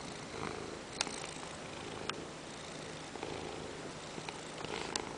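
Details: Peanert, a pet Ragdoll cat, purrs after jumping onto a lap during work time and demanding petting; a soft, steady low rumble runs throughout, broken by a few sharp clicks and rustles.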